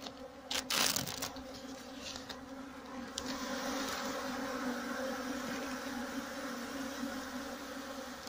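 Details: Honey bee drones in a drone flight cage used for drone rearing and selection for queen insemination: a steady, low, layered droning hum with brief louder passes, and a few sharper rustles and knocks near the start.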